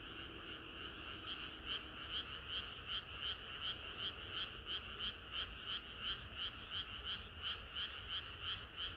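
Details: On a hot summer night frogs sing in chorus; a near caller repeats crisp, evenly spaced rattling croaks almost three per second against a steady drone of many distant frogs.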